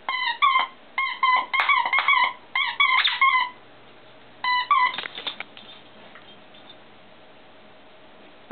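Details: Rigby, a pet dog playing with his ball indoors, gives high, squeaky whines in short bursts, repeated several times a second, followed by quieter whimpers and then a pause.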